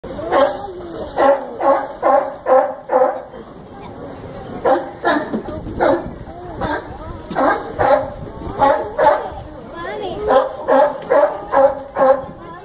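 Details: A sea lion at Brookfield Zoo in Chicago gives loud, hoarse barks in rapid bursts, with short pauses between runs.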